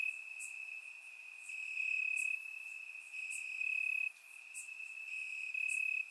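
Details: Crickets chirping in the grass on a warm summer night in Bulgaria, recorded with a surround microphone: a steady high trill with rhythmic swells of loudness about every second, plus brief higher chirps from other insects.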